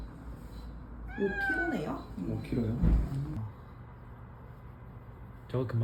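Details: Nabi, an abandoned stray cat long looked after and now on the way to adoption, gives a drawn-out meow that rises and then falls, then lower wavering cries, while people talk close by.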